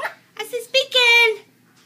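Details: Chow Chow puppy, almost three weeks old and just walking, gives a quick run of three or four short yelps ending in a longer falling whine, with a person talking nearby indoors.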